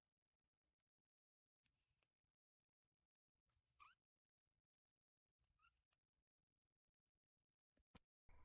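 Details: Kitten giving short, thin, rising meows, two brief squeaky calls a couple of seconds apart amid faint scratchy rustling and long near-silent gaps.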